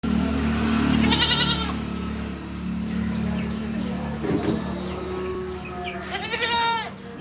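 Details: Beetal goat on a farm in Roorkee; two loud, wavering, nasal bleats about five seconds apart over a constant low mechanical hum.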